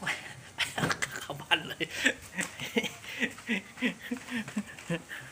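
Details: In Thailand, a Boston Terrier makes a run of short, breathy whimpers and pants, repeated several times a second in an uneven rhythm, while a person talks excitedly alongside.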